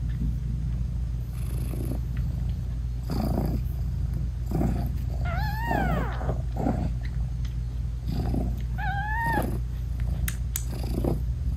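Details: A British Shorthair mother cat purrs steadily while nursing her newborn kittens, whose eyes are still closed, breaking into two soft, wavering meows as she talks to them.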